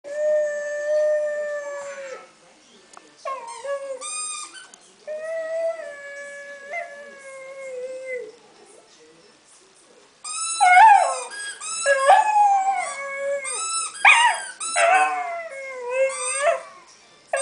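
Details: Five-month-old Staffordshire Bull Terrier singing while playing with a squeak toy: long, steady, drawn-out howls held for about two seconds each, then a livelier stretch of wavering, rising and falling yowls mixed with high toy squeaks.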